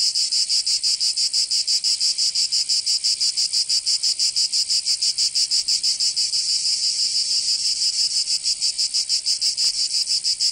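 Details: Summer cicada chorus from Provence in the south of France, a loud rasping high-pitched drone throbbing in rapid regular pulses, roughly three per second, unbroken for the whole stretch.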